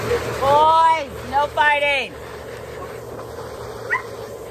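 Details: Husky letting out two drawn-out, harmonic-rich yowls, the first long and arching up then down, the second shorter and wavering, then quiet with a steady background hum and one faint squeak.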